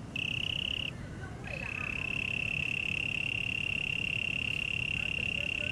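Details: Cricket recorded at Taipei Botanical Garden in Taiwan: a short high trill, a pause with faint chirps and rustle, then a long unbroken shrill trill continuing to the end over a low background rumble.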